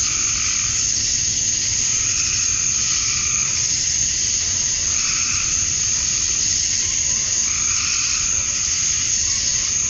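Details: Cicada chorus at dusk on a summer night in Georgia, USA, males calling to draw females: unbroken shrill buzzing fills the whole stretch, overlaid by faint rhythmic pulsed notes at lower pitch.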